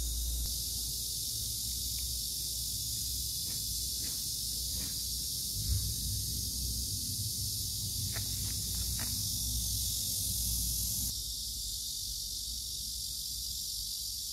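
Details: A loud, steady cicada buzz runs as a high hissing drone, with scattered light clicks and taps in the middle and a low background rumble; the buzz thins toward the end.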